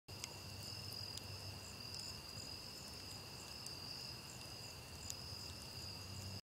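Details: On a warm October night, crickets keep up a steady, high-pitched trill while a campfire crackles and pops beneath it.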